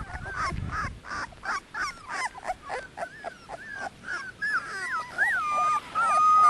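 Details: Litter of 18-day-old Dogo Canario puppies, sired by Mirko De Atlantida Can out of Annie v.d. Pretorianern; rapid run of short whining squeaks, several per second, ending in longer high wavering whines.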